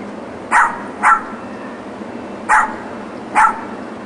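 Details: Neighbours' dogs kept alone in a back yard all day, Monday to Friday, 9am to 6pm, in 2006; four loud, clipped barks, the first two close together, the rest spaced over a second apart, with faint steady background noise.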